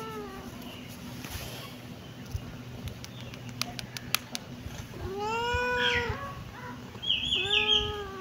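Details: Kitten meowing: a few quiet ticks and clicks at first, then an arched meow that rises and falls, followed by a thinner, higher-pitched mewing call with a last short meow. Faint low hum throughout.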